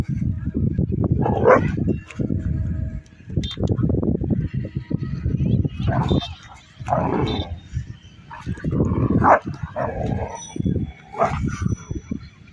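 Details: An aggressive Rottweiler gives deep, harsh barks in uneven bursts, with low rumbling between them.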